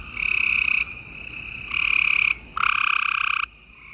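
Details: Gray treefrogs in a Houston, Texas, chorus on an April 2020 night. Three loud, rapidly pulsed trills of under a second each, one higher-pitched and one deeper, stand over softer trilling.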